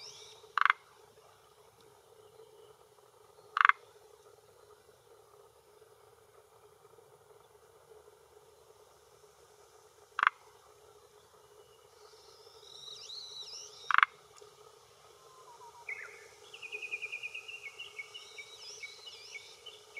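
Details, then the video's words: Male Forest Green Tree Frog (Rhacophorus arboreus) at the shore of a hillside pond in Japan, early June 2021, late afternoon, croaking with throat vocal sac to claim territory and attract females: four short, sharp, clicking croaks spaced seconds apart, with high bird whistles late on. "Croaking Male of Forest Green Tree Frog"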